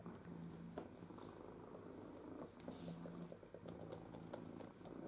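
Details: Pepper, a male pet cat with lots of energy who loves to eat, learning to use an interactive ball feeder indoors; a low steady rumbling purr swells in repeated bursts, overlaid by sharp clicks and taps.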